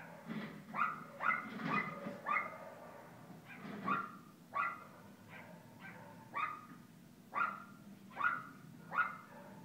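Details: Kooper the Alaskan Klee Kai puppy at play in Paws Pet Resorts Lake Forest doggy day care: clear, tonal yips, a dense cluster early then spaced single barks about once a second, over faint low hum.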